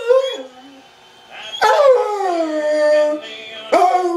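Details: Bomb-detection dog singing along to a Toby Keith song: a short sliding howl rising then dropping, followed by a long wavering drawn-out tone after a brief pause.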